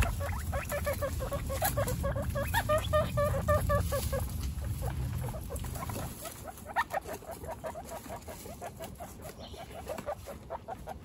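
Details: One-week-old baby guinea pigs, kept as pets among a household of 29, make quick runs of short, tonal squeaks, several per second, with low rumbling and rustling during the first six seconds before the squeaks continue alone.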